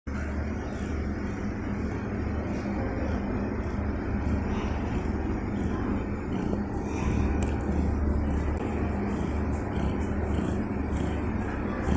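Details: A steady low rumble like an idling engine continues throughout, with no clear animal voice. Faint hiss sits above the rumble, and no calls stand out.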